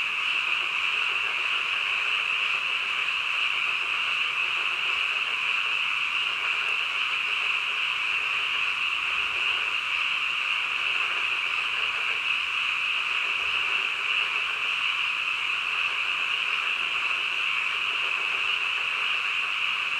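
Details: Nighttime frogs croaking together in a thick, constant wall of rapid high-pitched trills, level and unchanging throughout, with no other animals or voices standing out.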